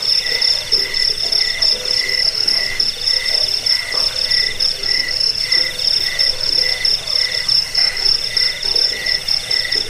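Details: Cricket chirping, shared as a rat repellent, sleep aid and bird-tutoring track: steady shrill high-pitched pulsing, with a lower buzzy layer coming in bursts roughly every second, dense and unbroken throughout.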